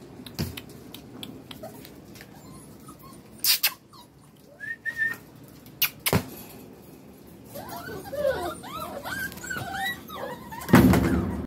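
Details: Young medium-size female puppy Giselle and her sisters, street rescues from southern Lazio, Italy, give scattered soft whines, then a dense burst of overlapping high, wavering whimpers near the end, with sharp knocks and rustling.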